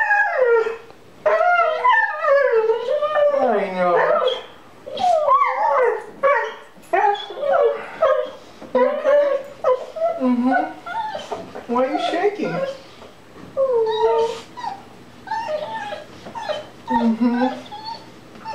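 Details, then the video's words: Dog reunited with its owner after six months, crying like a child: rapid series of wavering whimpers and yelps with short howl-like phrases, interrupted by a man talking affectionately. "Questo cane rivede il suo padrone dopo 6 mesi e piange come un bambino"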